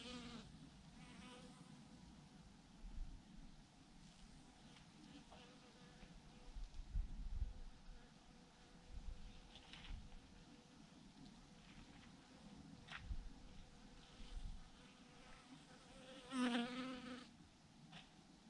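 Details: Thousands of bees hang in a massive clump on a branch, giving a soft, steady low hum with faint brief swells and scattered clicks and knocks over it.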